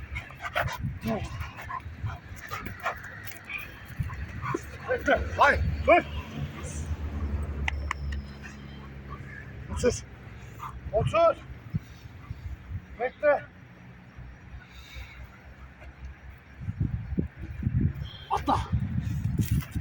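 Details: A Doberman whimpers and gives high, excited yips in greeting as its playmate returns from military service, with people talking and praising it.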